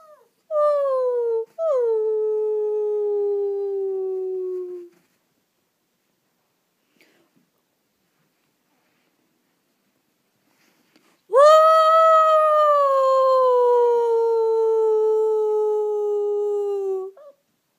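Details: Dog gives two short howl starts with sharp upward kinks, then falls silent for several seconds before one long, loud howl that rises briefly and slowly sinks.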